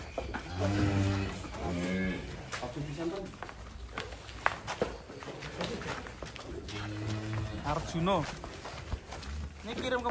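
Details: Huge cattle being unloaded off a truck, 2025: two deep, steady moos, one early and one later, with men's voices, footsteps and faint background music throughout.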